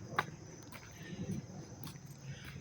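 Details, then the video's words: Close-up crickets at Dobbs Ferry, New York, August 19, 2025, in dry, warm weather, keeping up a constant high, thin trill, while a few faint footstep-like taps and a low hum sit underneath. "sounds of the crickets chirping"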